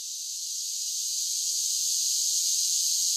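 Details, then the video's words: Summer cicada chorus forming a continuous shrill hiss-like buzz, high and even, gently swelling in loudness across the few seconds, nothing else audible. "10 Hours of Cicada Sounds for Relaxation with Soothing Summer Nature Sounds"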